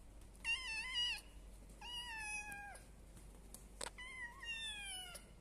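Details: Three one-month-old kittens, household pets alongside a village cat and a Persian cat, utter three clear, piercing meows, each level then slightly falling, with a brief click between the second and third cries.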